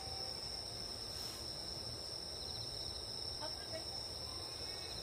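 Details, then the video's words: Grass insects calling at a camping spot on a nature hike: a steady, unbroken high-pitched trilling drone holds throughout, with a few faint scattered ticks and a low background rumble. "풀벌레 소리"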